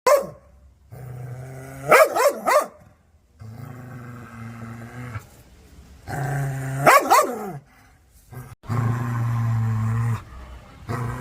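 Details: Angry dog barking at the camera: long low rumbling growls broken by two sharp bursts of two or three harsh barks, with short quiet gaps between.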